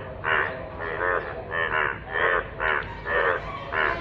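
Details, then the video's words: Yellow frog calling in rainwater; loud, harsh, nasal calls with stacked overtones, repeated in irregular bursts roughly every half second over a steady low hiss. "অসাধারণ কণ্ঠে ডাক । হলুদ ব্যাঙ এর বৃষ্টির পানিতে"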